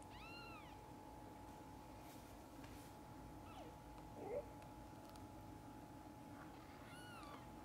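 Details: Mother cat with kittens: a short arched meow at the start and another near the end, with soft rustling between over a constant low hum.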